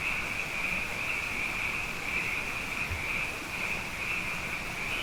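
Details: After two wet years, a night chorus of numerous frogs: a persistent high trilling drone of overlapping callers with small surges in loudness and a faint low background murmur.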